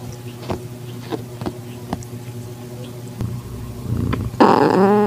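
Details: Calico tabby cat in heat with a newly found calico kitten, eyes just opening, in a garage on a September evening; soft taps and rustles, then one loud wavering meow with rising and falling harmonics near the end.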